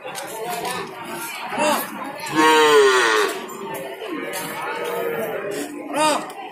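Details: Madura cattle at a market. One strong, drawn-out harmonic moo lasting about half a second, with shorter lowing sounds before and after it, set against voices and background music.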